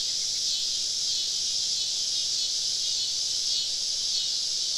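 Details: Summer evening cicadas in deep woods during a camping trip, many calling together: a continuous high buzzing wash with gentle swells in loudness, no other clear sounds.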